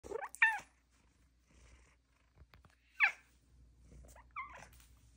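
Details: Female pet cat indoors chatting with her owner: three short chirping calls, each a quick sweep falling from high to lower pitch, spaced over about five seconds, with quiet room noise between.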